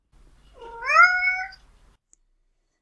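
A domestic cat voices a trill meow: it opens with a soft rolling trill and flows into a meow. The pitch climbs steadily through the call, which lasts about a second, with only faint room noise behind it.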